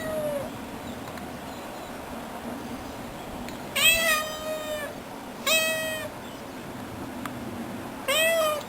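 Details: A pet cat meows four times over about eight seconds. The calls are clear, harmonic and arched, each rising and falling, with short pauses between them against a quiet background.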